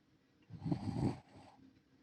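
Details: Sleeping elderly Shiba Inu, a rescued dog living in the countryside, letting out a single low, rattling snore of about three quarters of a second, followed by a softer breath.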